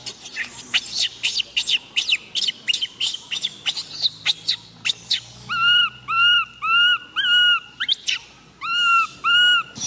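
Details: Tiny female baby monkey MoMo crying after falling down: harsh high screams at first, then a steady run of clear, wavering whimpering coos, each about half a second long, repeated nearly twice per second.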